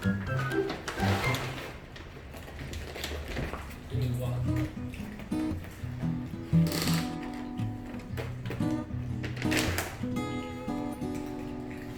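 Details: Speech over background music with tapping and clicking sounds indoors; no kitten cries or other animal sounds stand out.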